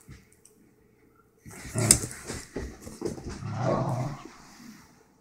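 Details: An excited Basenji indoors, urged to howl, answers with rough, broken bursts of voice that build into a low, wavering moan before trailing off, after a quiet opening with light handling noise.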